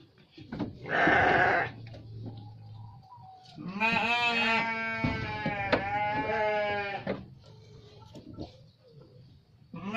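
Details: Garut sheep calling: a short harsh burst, then a long wavering bleat of about three seconds that breaks and trembles before fading, with light background noise.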